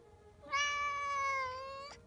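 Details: Newborn kitten, the seventh of a litter, giving a single thin, high mewing cry lasting about a second and a half, steady in pitch and then dropping slightly at the end, with a quiet background.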